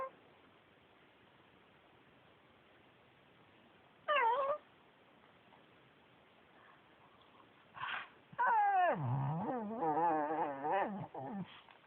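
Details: Male Pekingese Yuyu, a former shelter dog, chatters indoors: a short rising-falling whine, a brief yelp, then a long warbling, wavering moan of about three seconds that dips and rises in pitch, with rich overtones and a quiet room between.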